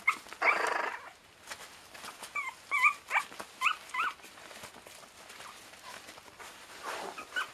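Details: Border terrier puppies, 25 days old, at a kennel: a short series of thin, high whimpering squeaks and yips, some rising and falling, spread through the middle, with a burst of rustling early on.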